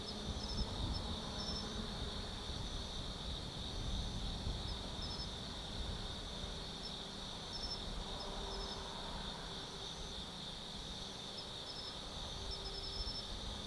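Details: Autumn night at Tsukimi no Mori forest, Kaizu, Gifu, Japan: many insects sing together in a dense high-pitched hum, with rapid pulsed trills recurring every second or two, plus a constant low background rumble.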